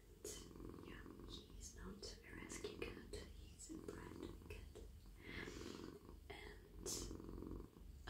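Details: A friendly, soft male domestic cat purrs in a steady, low, rumbling vibration while being stroked on his head, neck and body as he melts in a lap, with a person talking softly nearby.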